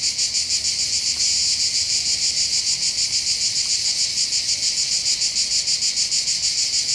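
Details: Buzzing cicada chorus heard from the hills above the port of Bandol, southern France, on the Mediterranean coast: shrill, sizzling drone beating in quick regular pulses, steady and loud from start to finish.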